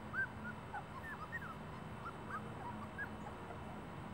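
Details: Celosia's puppies give soft, high, curling whimpers spaced irregularly, a few louder squeaks among fainter ones, over a constant low hum.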